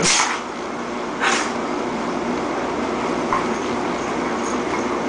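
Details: Jojo, a female dog, in a sneezing fit: two sharp, breathy sneeze bursts close together, then a fainter third, over a steady mechanical hum.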